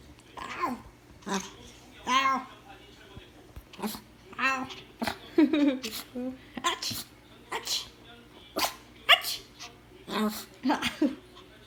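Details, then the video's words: Pomeranian dog named Minguk, kept indoors as a pet, reacting to its owner imitating a sneeze: short sharp barks and yelps scattered through the clip, mixed with human speech, laughter and sneeze imitations in a small room. "포메라니안 강아지 재채기 따라했을 때 반응"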